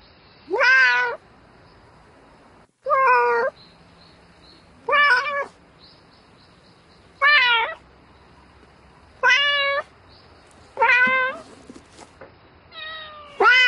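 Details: Domestic cat meowing at night to call a mate: seven loud, harmonic meows repeated roughly every two seconds, each rising then falling, with quiet pauses between.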